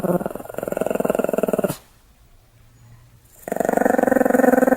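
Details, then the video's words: Pomeranian growling in a rough, pulsing drone, pausing for a quiet gap of about two seconds, then resuming the same rasping growl. "ポメラニアンの犬の鳴き声 (人間襲います)"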